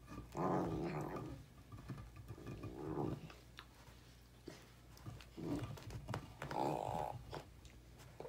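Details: Basset Hound indoors in a living room, growling while chewing a seasoned birch beaver stick. It gives low, rough rumbling growls in about four bursts, with gnawing clicks and crunches between them.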